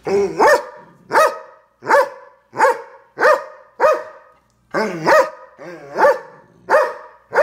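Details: Doberman, a big dog, barking at the household's small dog: about eleven hard, booming barks in an even rhythm, near one every two-thirds of a second, with a short pause partway through.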